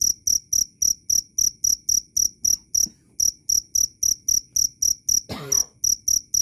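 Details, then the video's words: Clear, loud cricket giving sharp high-pitched chirps at about four per second, with a brief pause near three seconds and a short rustling knock just after five seconds. "Suara asli jangkrik Keras dan jernih"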